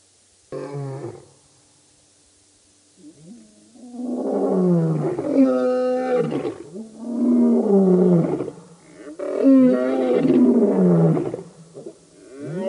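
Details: Birmingham Boys coalition lions roaring at the dam, Djuma Game Reserve, Sabi Sand by Kruger Park, South Africa, August 2016; a brief roar, a pause, then swelling layered roars from several animals that rise and fall across several seconds.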